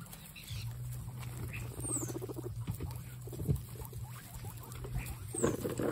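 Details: Excited guinea pigs making noises: a low, steady buzzing rumble runs through most of the stretch, with scattered soft squeaks and a couple of faint high descending squeals.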